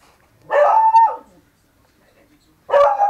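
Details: Miniature Pinscher mix barking twice: a long, full bark with a slight pitch lift at its end, then a pause of over a second before a second sharp bark begins, with silence between.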